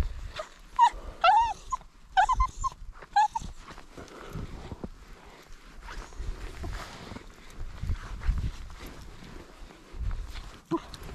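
A Cairn Terrier gives a quick burst of high, whiny yelps, followed by rustling and handling noise.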